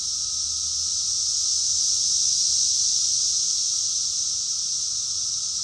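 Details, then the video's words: Unbroken high buzzing from many cicadas singing together in Rockville, Maryland, USA, June 2021, steady in loudness throughout, with a faint low tone beneath the hissing wall of sound. "Cicadas song || Cicada's chorus song"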